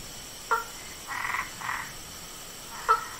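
A frog gives short sharp clicks and two longer, raspy croaks in between.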